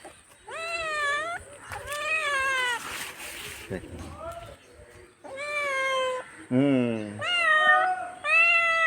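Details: Pet cat indoors giving a series of drawn-out, harmonic-rich meows, some rising then falling, with short pauses between; a lower, descending cry in the middle; a person talks in Hindi in the background.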